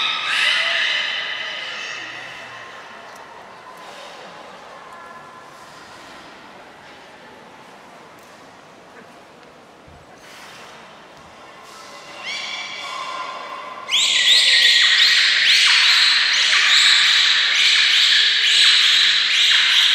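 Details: Aquarium beluga in Nagoya, 3 November 2023, feeding and playing: an opening harmonic whistle, a quiet middle, then a dense rapid pulsed chatter of about four bursts per second, high-pitched and very regular.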